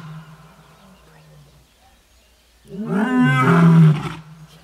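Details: A lion at Marataba reserve in South Africa's Waterberg gives a deep, rasping roar that swells loudly and then fades after about a second.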